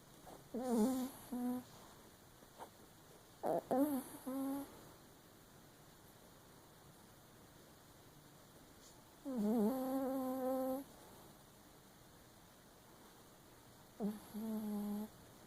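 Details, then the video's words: Papillon Chihuahua dog sleeping and dreaming with one eye open indoors, making wavering, whiny nasal snores in four bursts of about one second each, separated by quiet breathing pauses. "Papillon Chihuahua snoring and dreaming with one eye open"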